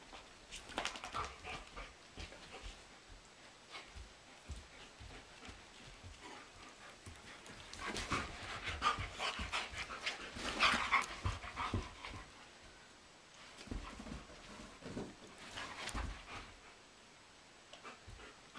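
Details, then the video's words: German Shepherd and Doberman wrestling energetically indoors in a living room, with two sheep nearby; shot in April. Rapid, irregular breathy panting and scuffling bursts, loudest midway through. "German Shepherd vs. Doberman (with sheep!)"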